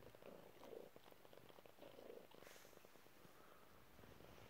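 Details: Chilled pet cat indoors, purring in a low, even rumble; breath-timed swells recur roughly every second, a slight rustle midway, otherwise quiet room.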